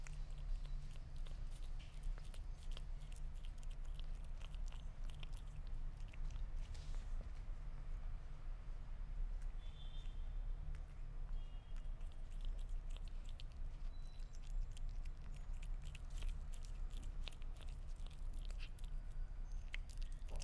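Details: Sphynx cat eating meat: dense, irregular wet clicks and crunches of chewing, coming in quick bursts throughout, over a steady low hum.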